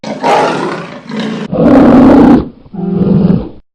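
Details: Polar bear roaring: a deep, rough roar in several bursts, the longest and loudest in the middle, ending with a lower, steadier growling roar.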